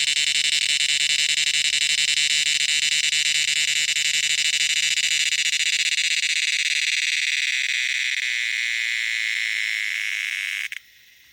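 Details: Loud cicada: a continuous, dense, hissing buzz holding steady for about ten seconds, easing slightly toward the end before cutting off abruptly, with a faint low hum underneath.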